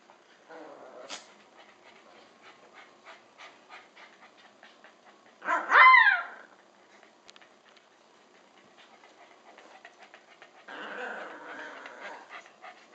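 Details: Puppy Parker gives one small, high bark that rises and then drops. Quiet rhythmic ticking sounds come before it, and a softer rustle follows. Stella the Labradoodle tries to nap nearby.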